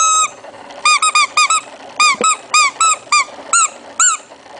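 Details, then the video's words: Shih Tzu puppy's strange noise: around a dozen clipped, bright squeaks, each a quick up-and-down arc, delivered in irregular pairs and singles in a quiet room. "puppy shih tzu kawneaw strange noise"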